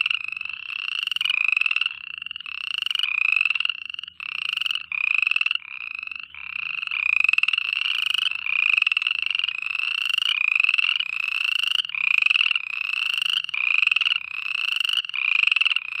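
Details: Frogs calling at night: a dense, continuous chorus of raspy, trilling croaks, each lasting about half a second to a second, overlapping in a steady pulsing rhythm with brief gaps, bright and high-pitched, with no other sounds.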